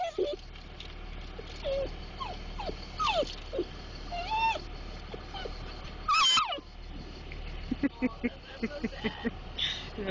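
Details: Dachshund eager for Timbits, getting worse closer to them: scattered thin whines and brief squeaky cries, with a loud burst near the middle and a quick run of short yelps at the end.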